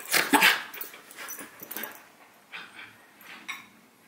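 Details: Two dogs playing indoors: Howie, a six-month-old Havanese puppy, and Remy, a miniature schnauzer. A burst of loud yippy growls and barks opens, followed by softer scattered grumbles and snuffling noises.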